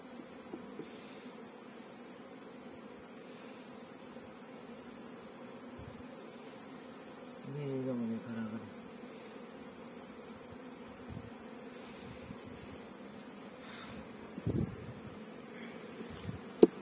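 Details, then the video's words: Honey bees at a bee farm in Pakistan give off a low, steady humming drone that holds evenly throughout, with a brief louder swell midway and faint murmuring voices in the background. "Honey Bee Farming in Pakistan"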